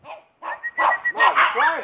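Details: Playing dogs outside give a short burst of yelping barks, some with a whining, arched rise and fall, packed into under two seconds.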